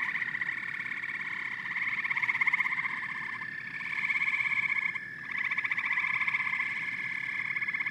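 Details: Massed frogs and toads form a continuous chorus of rapid, rattling trills layered over one another, rising and falling in loudness every couple of seconds with no quiet gaps.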